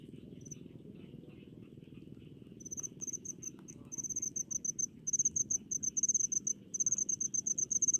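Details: Chirping cricket in rice fields, starting with faint scattered notes and lower insect ticking, then building from midway into loud rapid pulsed trills in short bursts over a steady low murmur.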